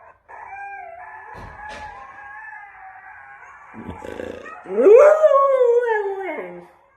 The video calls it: Husky reacts to wolves howling - Coda the husky